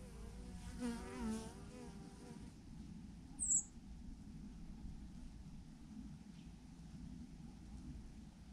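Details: A swarm of bees in a massive clump on a branch; a strong, wavering buzz from a bee passing close fills the first two seconds, then fades to faint background hum, with one sharp high click midway.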